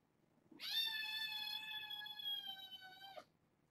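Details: Male kitten, black and brown tabby with white belly, born August 29th, meowing indoors at a person talking back to him; one long steady drawn-out meow lasting about two and a half seconds, rich in harmonics, quiet room.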